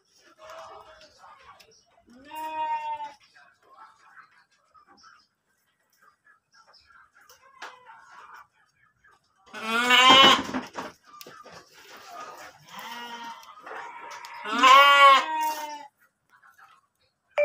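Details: Kacang goat, pregnant, in a pen at Tanjungjaya, Cipunagara, Subang, Indonesia, bleating repeatedly. Four quavering, harmonic calls of differing loudness come a few seconds apart, the later two loudest, with faint voices between.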